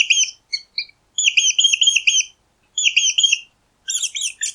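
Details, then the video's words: Mouse squeaking in high, thin chirps, delivered in quick bursts of four or five notes separated by short silences, with a harsher, buzzier squeaking run at the end; no background noise. "Mäuse Quietschen 🐭 Mausgeräusche"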